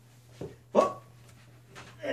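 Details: Pet corgi, described as really unhappy, being put into a bath indoors; a short soft yelp, then one louder, sharp whining bark, followed by a person's sympathetic voice near the end.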